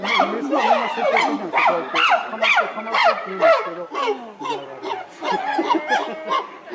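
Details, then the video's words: Chimpanzee Tsutomu displaying at Japan Monkey Center in Inuyama City, Aichi, Japan, on 13 October 2013, captive: a rapid series of loud, rising, panting hoots, about two or three per second, easing in volume toward the end. "Chimpanzee Tsutomu Display"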